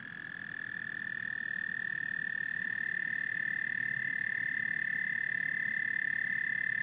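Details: A chorus of frogs and toads fades in over the first seconds, then settles into a steady, high, even trill with a faint low murmur beneath. No other animals or noises stand out.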